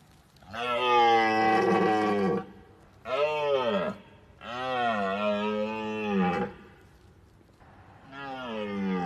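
A deer gives long, deep, moaning calls, repeated four times with short pauses between.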